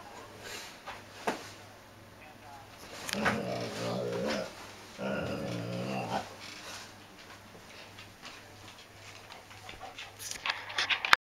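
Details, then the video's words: Great Dane pup playing on a couch indoors, rubbing his lips on it while moaning and groaning; two drawn-out, wavering groans of about a second each, with rustling and scraping between them. "Great Dane Pup, Plays on Couch (Loudly!)"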